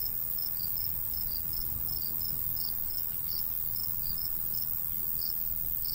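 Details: Summertime countryside cricket chorus by a golden wheat field in a light breeze, with quick high-pitched chirps pulsing continuously from more than one insect and a soft low wind rush underneath.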